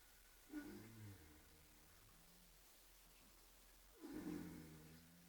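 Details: Oscar, a pet horse, snoring while asleep: two low, rough, droning breaths about three and a half seconds apart, each swelling and then fading, with quiet background between them.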